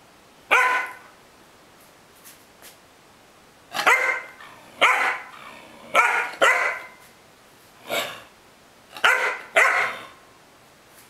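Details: Luna, a pet dog refusing to leave the bed, gives sharp, harsh barks singly and in pairs at uneven gaps, eight bursts over eleven seconds, indoors with a person telling her "Kato, Luna" in Greek.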